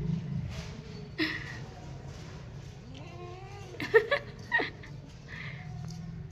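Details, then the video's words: A drowsy pet cat at home, being coaxed to sleep, gives a few short, rising, talkative meows and chirps midway. A steady low hum and a woman speaking softly in Hindi run throughout. "मेरे किट्टी को एक बार जरूर देखे ये केसे बोलता है"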